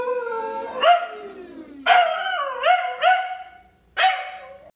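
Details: A Pembroke Welsh Corgi howls at a coffee grinder in mournful, sliding, wavering notes that trail off, punctuated by brief yippy upward breaks.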